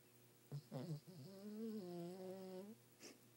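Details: Everett the dog snoring in bed at night, louder than he barks: a droning, humming sound that wavers in pitch for about two seconds, with short grunting breaths before it and a faint hiss afterward.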